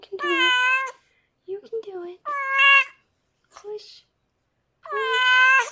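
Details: Rescued pregnant foster cat Harlequin, taken in by a veterinarian, meows loudly while giving birth to six kittens indoors. Three drawn-out, high, harmonic-rich meows come about two seconds apart, with quiet human talk between them.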